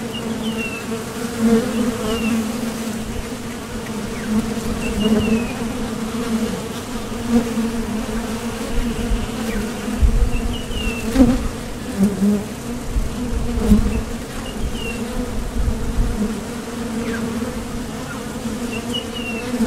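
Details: Honeybees leaving and landing at a Top Bar Hive entrance on nectar-gathering trips. An even, droning buzz with passing surges, and faint short bird chirps heard now and then above it.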